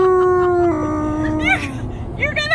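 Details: Alaskan Malamute on a car road trip: a long, level howl that drops in pitch partway, followed by short broken yips and vocal squeaks, over steady vehicle rumble.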